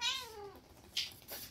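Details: Siamese cats wrestling noisily indoors; a single short meow slides downward in pitch, clear and harmonic, then fades into quiet room tone with a couple of faint soft noises after it.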